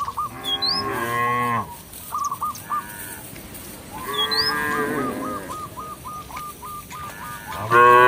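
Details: Village cattle wandering a field call their companions home to the barn with three loud, deep, rising-then-falling moos spaced several seconds apart. Chirping birds and a rapid series of short repeated bird notes fill the gaps.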